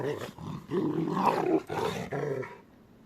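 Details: A pair of playing Rottweilers. Continuous throaty growling rises and falls in uneven pulses for about two and a half seconds, then fades to quiet.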